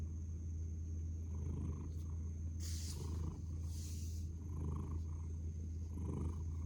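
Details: Cat purring while snuggled face-down, a low continuous rumble with rhythmic breathing pulses, interrupted by two brief bursts of rustling around the middle and a faint steady high whine.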